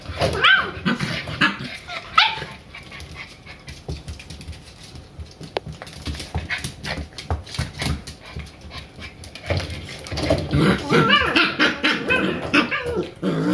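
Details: Three-month-old Shiba Inu pair Ren and Rin romping indoors; panting, scuffling and occasional sharp barks, busier and louder in the final seconds as the play picks up.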